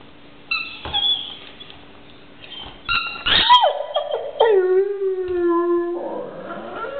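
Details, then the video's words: Pet dog howling, apparently over a toy: high whining tones jump and slide down into a long steady howl with stacked harmonics, then a wavering tail; soft rustles before the voice starts. "howling dog"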